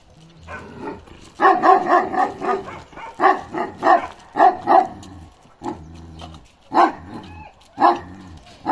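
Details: Karakırçıl Balyoz, a male Kangal of 15 months just starting to become an adult, barks in rapid clustered runs of low, hoarse woofs, pausing briefly between runs, with faint low rumbling in the background.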